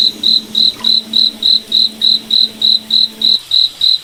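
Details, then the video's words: High, evenly repeated cricket chirps in a forest at night, around three per second, over a low steady hum that fades out near the end. "Cricket Night Forest Ambience"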